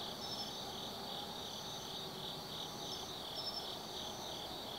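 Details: Forest insects on an autumn night at Tsukimi no Mori, Gifu Prefecture, Japan: continuous high trilling in rhythmic pulses, with brief thin whistled chirps overhead and a quiet low background rumble.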